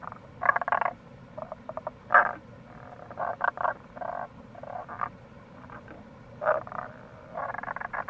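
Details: Tago's brown frog calling in April near a gorge on the Kamo River, Itoshima, Fukuoka, Japan: low croaking bursts and short pulsed trains, several callers overlapping, with steady stream rush underneath.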